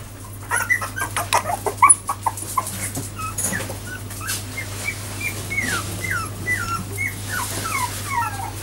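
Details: Jack Russell Terrier puppies four weeks old, newly walking, make soft knocks and scuffles early on. Later come a series of thin, downward-curving whimpers, about one per half second.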